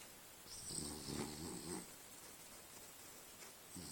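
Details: Sleeping French Bulldog, dreaming and tired after a long day out in the forest, gives one buzzy, rattling snore lasting over a second, then quiet breathing as the next snore begins.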